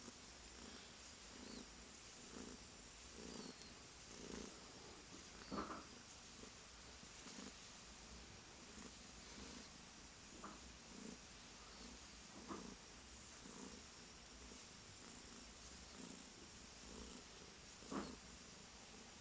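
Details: Tuxedo kitten Widget, a rescued little male, purring steadily as he is touched, a low continuous rumble swelling in soft pulses about once a second over faint room hiss.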